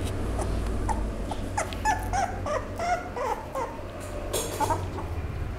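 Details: Toy Poodle whimpering: a run of short, thin, high whines, some slightly rising or bending, several in quick succession over a low steady background hum with occasional soft clicks.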